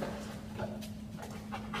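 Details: Quick, airy panting from a 13-month-old Rottweiler, short noisy breaths repeating over a constant low background hum.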